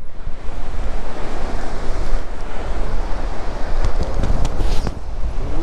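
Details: Gusting wind buffets the microphone over crashing beach surf, with no animal calling.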